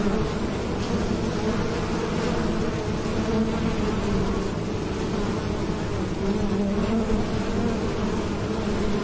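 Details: Bees droning in a continuous low, layered hum whose pitch drifts up and down a little. A few faint ticks and clicks come through, but the buzzing dominates the whole time.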